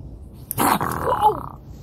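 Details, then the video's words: An aggressive raccoon, the second one caught, gives a sudden harsh bark-like burst followed by a strained, wavering tone that lasts about a second. A person reacts, startled. "Raccoon can Bark"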